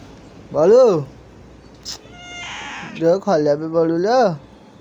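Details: Balu the cat meows clearly: one loud arched meow near the start, a burst of noise, then several shorter overlapping mewing sounds ending in another arched meow, with some voices around.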